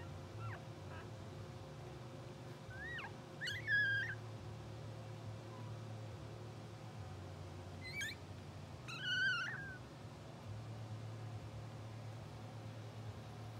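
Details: Sleeping, dreaming English Bulldog puppies, two hours old, blue sable litter, make two clusters of high wavering squeaks and whimpers about five seconds apart, each a quick run of bent notes, against a low steady hum.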